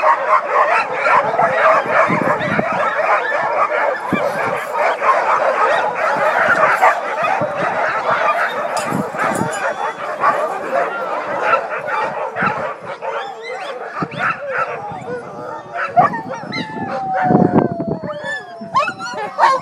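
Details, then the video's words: Many sled dogs singing together: a packed mix of howls, yips and short sharp barks, with the chorus thinning toward the end into separate rising and falling wails and scattered yelps. "Singing Sled Dogs"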